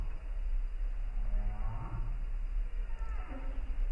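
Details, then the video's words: A humpback whale sings north of the Arctic Circle in December, a moaning, harmonic-rich tone that swoops up and falls back over deep rumble. "And why might we care that humpback whales are singing north of the Arctic Circle well into December?"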